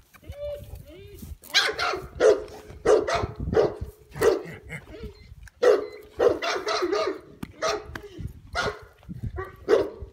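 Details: Huge 16-month-old dog playing and having fun, barking in a quick irregular series of deep, loud barks, roughly one or two each second, with brief whines between them and some human voices.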